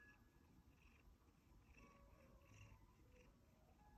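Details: One-year-old male Siberian Forest cat purring contentedly indoors: a steady, continuous low rumble with soft, faint higher tones drifting above it.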